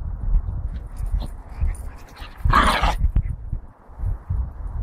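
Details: A Lagotto Romagnolo, the Italian water dog breed, gives a single short harsh bark midway through, over steady low rumbling and handling noise.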